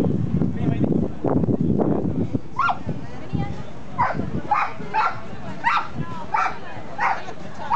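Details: Mayly, a Border Collie, spinning and playing on the open yard of Tigre station. People talk at first, then a steady series of about seven bright, clipped barks, roughly one every 0.7 seconds, with soft voices beneath.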